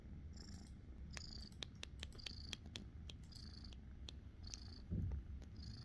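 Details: Young cat, about five months old and found in the forest, purring during an affectionate moment: continuous low rumbling with scattered clicks and short high chirping noises over it.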